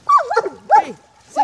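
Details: Female German Shepherd at play in a puddle; a couple of short, yelping barks overlap with a woman calling the dog to leave as the play session ends.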